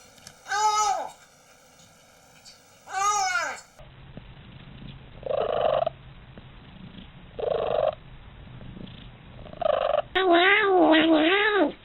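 A domestic cat gives a run of drawn-out, wavering meows with rising and falling pitch.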